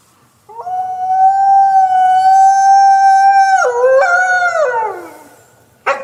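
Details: Single wolf howl: a clear, steady, flat tone held for about three seconds, then breaking and wavering before sliding down and fading, followed by a short noisy sound.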